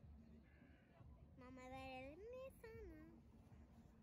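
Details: Friendly stray black cat enjoying the winter sun on beach cliffs in Istanbul. One drawn-out meow climbs steadily in pitch, breaks briefly, then slides back down. A person speaks Turkish nearby before and after.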